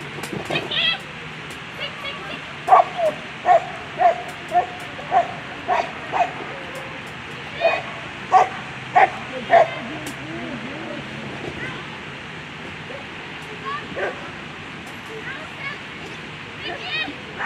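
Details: German Shepherds at the final of a world championship agility competition, 2021; sharp barks repeated in a quick series roughly every half second, then trailing off, over steady crowd murmur and a loudspeaker voice.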